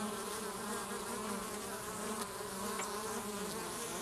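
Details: Many western honey bees in a hive make a steady, dense, low buzzing hum as two bees remove an intruder while foragers bring back nectar and pollen.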